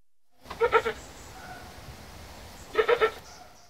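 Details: A male goat calls to a female with two bursts of quavering, nasal bleats, seeking her attention.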